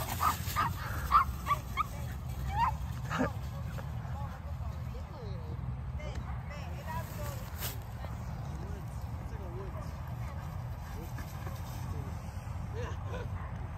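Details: Cane Corso dogs playing hide and seek in tall grass at a favourite outdoor spot. Several sharp, short barks and yips come in the first three seconds, then steady wind-like rustling with a human voice nearby.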